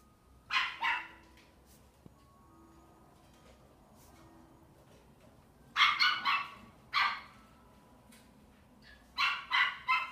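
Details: Male black-and-tan Miniature Pinscher, born 6 April 2018, kept at a pet shop, barks in quick sharp bursts of two or three, with quiet pauses of a few seconds between bursts.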